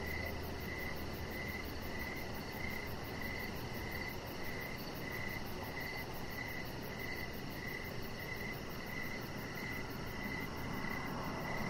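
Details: Evening crickets heard from a backyard deck: an even train of brief chirps roughly twice a second, with a fainter, faster high-pitched pulsing above and a broad low background hiss.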